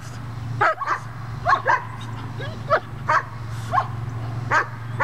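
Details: Puppy during bitework training gives short, sharp barks, about eight spaced through the clip, over a low steady hum.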